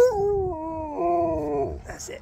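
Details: Sherpa the husky, roused mid-grooming and resisting, holds a long, steady, mournful howl that dips slightly and ends with a brief breaking sound; laughter and a man asking for another howl follow.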